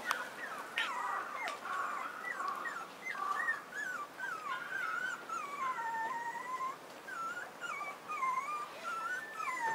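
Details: A male Pomeranian puppy, born 28 March as the only pup in his litter, gives a steady run of high-pitched whimpers, each a short whine that rises, bends or falls away, with only faint background hiss between.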